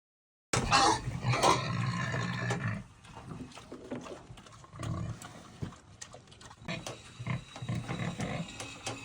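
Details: Farm pigs fighting over food squeal and grunt harshly, with loud rough bursts at first, then quieter scattered grunts.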